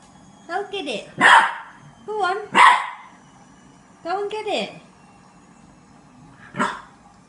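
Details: A male French Bulldog puppy, scared of a green washing basket, barks at it in short, whiny, falling yaps in scattered bursts while a person encourages him.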